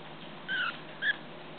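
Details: Tiny Chihuahua puppy Kiara, kept apart from her bigger brothers and sister, learning to walk indoors: two brief, thin, high-pitched whimpers, the first slightly longer and falling, the second short, over faint room hiss.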